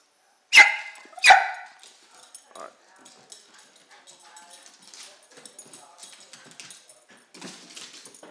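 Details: A happy Jack Russell Terrier gives two sharp, high barks in quick succession just before going for a walk, excited while the owner prepares the leash.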